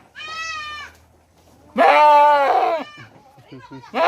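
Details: Mumbai goat crying for its kid: a faint bleat, then a loud, shaky, drawn-out bleat, quiet murmuring sounds, and another bleat beginning at the close.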